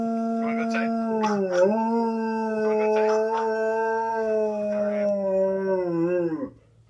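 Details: Blitzen, a male Alaskan Malamute indoors, reacts to his own recording with a sustained, even howl. The tone sags and recovers, then holds before tapering off, while a person talks faintly underneath.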